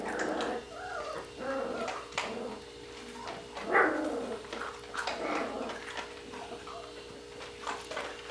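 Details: Young Border Collie pups of the Sissy and Match litter at Sixteen Hands Border Collies, playing indoors; a stream of short, high, wavering whines and squeaks, one louder yelp midway, with soft growls between.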